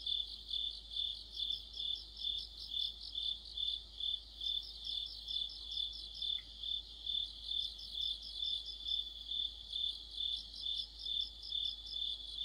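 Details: Autumn night orchestra of crickets and other insects, a bright unbroken high trill beating steadily, interrupted by groups of fast stuttering chirps from a slightly higher-pitched singer.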